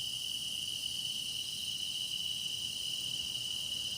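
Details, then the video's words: Continuous song of grass insects recorded for meditation: a constant, shrill, ringing drone made of many callers at once, a strong central tone topped by a hissing upper shimmer, unchanging across the few seconds. "깊어가는 풀벌레 노랫소리"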